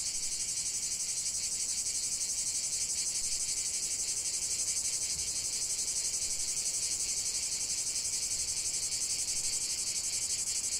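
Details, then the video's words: Singing cicadas fill the air with a bright, even metallic drone, rapidly pulsing around four beats per second, nothing else heard. "45 min de chant des cigales"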